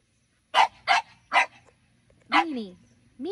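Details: French Bulldogs playing under a grape pergola during morning garden watering, one-year-old Minnie Rose wanting to play with ten-year-old Sami: three sharp, bright barks about half a second apart, then a human voice speaking.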